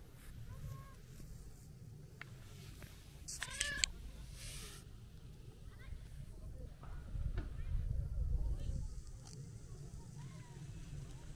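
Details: Talkative brown tabby-and-white stray cat greeted on a New Year visit during a walk, giving one clear, drawn-out meow with a rising-falling tone midway, amid low outdoor rumble and quiet human speech.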